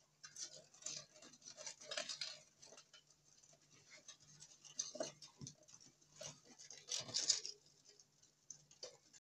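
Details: Longhorn beetles at night, said to make a lot of sound after dark: dry, scratchy ticks and rasping bursts come in irregular clusters, bright and high-pitched, over a faint steady low hum.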